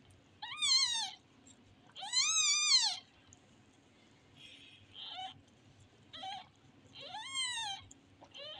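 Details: Kitten repeating meows of varying strength: two loud, high arched cries, then several softer, shorter mews and another strong call, irregularly spaced over about eight seconds in a quiet room.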